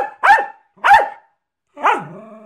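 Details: Jack Russell Terrier performing tricks barks twice, sharp and loud, then gives a longer drawn-out bark that bends up and down in pitch and trails off into a whine; quiet background.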